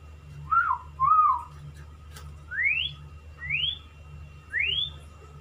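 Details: A male white-rumped shama courting a female, kept as a pet, gives clear whistled notes: two low slurred whistles followed by three upward-sweeping whistles spaced about a second apart, over a steady low hum.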